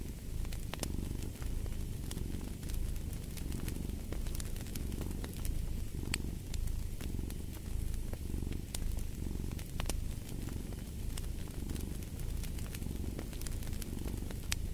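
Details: Steady domestic cat purring, a throaty low vibration repeating in rhythmic breath-length swells, mixed with sharp intermittent pops and crackling from a burning fireplace.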